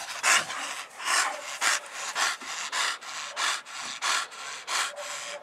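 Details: Dog from a mastiff family group of English bulldog, bull terrier and American bully: steady, hissing panting, each breath a breathy rasp repeating roughly twice a second, with no other clear sounds.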